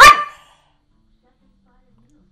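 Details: Pet dog, described as hungry and asking for food, gives one short loud bark, then silence.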